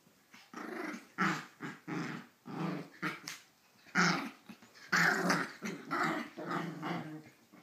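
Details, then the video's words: Pomeranian acting as an alarm clock to rouse its owner, letting out rapid, raspy growl-barks about once a second, some sharper yaps mixed in, indoors in a small room. "Pomeranian Alarm Clock"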